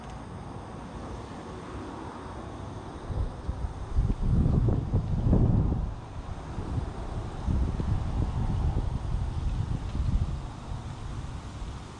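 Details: Outdoors on a day with a typhoon approaching, gusting wind buffets the microphone and rises to a louder rush midway, with no animal calls.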